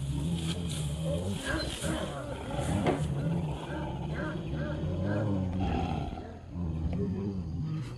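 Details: Low, continuous snarling growls from street dogs in a fight over a female, sustained and rough throughout, with steady background noise and faint traffic-like rumble.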